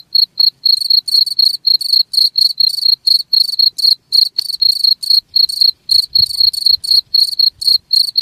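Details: Rapid, high-pitched cricket chirping, pulses of bright trilled sound about four each second, with a faint low thump midway; the chirps are meant to chase rats from an area.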